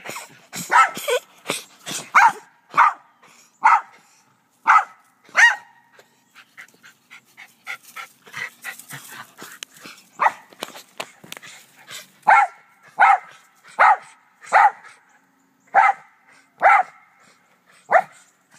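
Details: Black Terrier named Doe barking in the back yard with two white Rat Terriers nearby; a long run of sharp barks, clustered quickly at first, then a quieter patch of soft yips, then steady barks about one per second.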